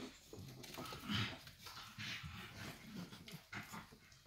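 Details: Staffordshire Bull Terrier pups aged six weeks from the 54th Staffordland litter give a thin high whine followed by soft panting and small grunts, with shuffling movement.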